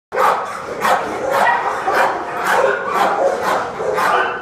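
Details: Dogs barking in a steady run of sharp, harsh barks, about two per second across the whole stretch, each bark a broad burst with a rough midrange core and no pauses between them.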